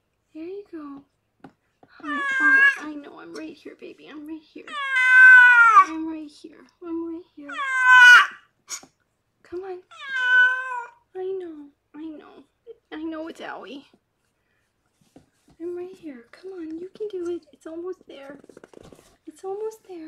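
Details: Rescued pregnant cat Harlequin, delivering six kittens in foster care, gives a run of four or five rising-then-falling meows in quick succession. Soft human voices continue quietly underneath and carry on after the meowing stops.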